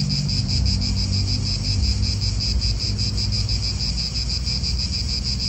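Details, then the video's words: Cicadas in an Italian park give a steady, shrill pulsing buzz at about three beats per second, with heavy low wind rumble and distant traffic beneath. "Cicadas wind real atmosphere in an Italian park"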